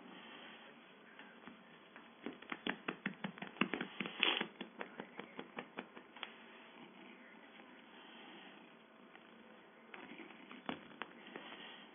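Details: Rhythmic tapping and patting in a small room, in bursts of quick knocks, with a faint steady hiss behind.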